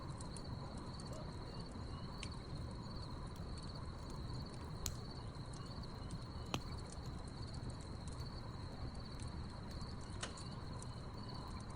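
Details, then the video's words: Crickets chirping at night beside a backyard campfire: a steady, unbroken high-pitched trill runs through the whole stretch, over a low rumbling bed of fire noise with sharp crackles and pops from burning logs. "crickets chirping"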